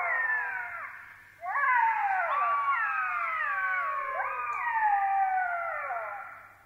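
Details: Southern African black-backed jackals give a chorus of wailing, falling howls, several voices overlapping and sliding down in pitch, with a couple of sharp rising yelps.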